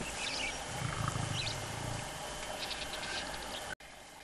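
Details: Young male lion roaring during mating with a young lioness on the savanna of Tarangire National Park, Tanzania; a brief low rumbling growl lasting about a second, over chirping and whistling birds in the background.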